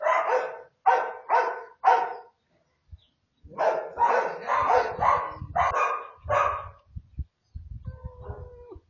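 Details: American Bully puppy in Oaxaca, Mexico, barking in quick high yaps: four quick barks, a pause, then a longer run of about six, ending in softer whimpering tones amid low knocking sounds.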